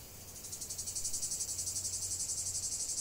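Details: Cicadas in chorus, continuous nature recording: a dense buzzing band high in pitch that swells in after a quiet start, pulsing about four times a second with a faint low hum beneath.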